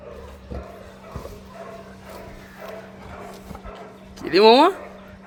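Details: A Saint Bernard named Moss, coaxed by people to bark, lets out one loud, rising, ringing bark near the end. Bengali speech and quiet background noise fill the seconds before it.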